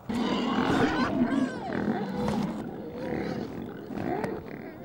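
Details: Wild boar in a forest while mating: a male climbs onto a female, who runs off with him half on her back. Loud, strained squealing in long harmonic bursts, some wavering, with short breaks between cries.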